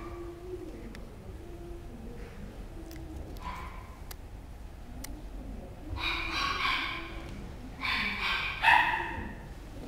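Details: Chihuahua giving short, bright, harmonic barks in clusters after six seconds, three bursts about one to two seconds apart, over steady low background hum with faint voices and clicks earlier.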